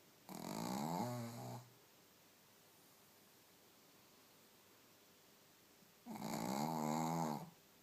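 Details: A Shih Tzu, falling into deep sleep after a belly tickle, snores loudly in two long, rasping, fluttering breaths several seconds apart.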